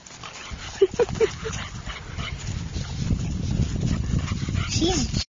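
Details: American Bulldog puppies playing together, two of them: three short, high yips in quick succession early on, followed by steady low rumbling scuffle noise and a faint rising whine at the close.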